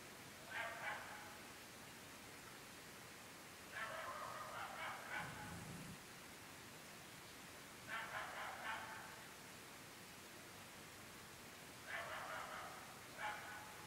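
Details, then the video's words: Night barking by dogs at 11.30 pm in a very remote rural part of the UK, repeated night after night for seven months: four clusters of rapid, sharp barks roughly every four seconds, distant, with a brief low rumble and constant background hiss. "Incessantly barking dogs"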